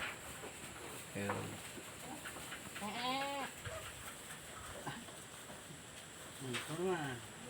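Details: Newborn goat kid bleating: short wavering bleats, one near the middle and a sharper one near the end, with people talking in Tagalog close by over a steady background hiss.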